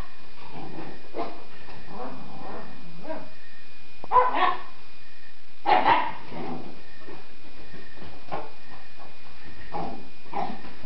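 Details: Wire Fox Terrier named Sofie attacking the couch after getting a haircut: a run of short, rough yips and barks at uneven spacing, two louder bursts near the middle, over steady low background hum.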